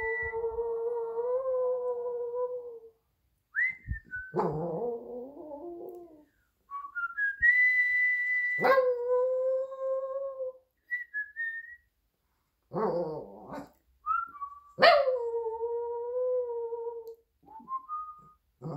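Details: Minnie, a Shih Tzu, howls along with whistling: four drawn-out, wavering howls, each starting high and sliding down into a sustained moaning tone, interleaved with short whistled notes and quiet gaps.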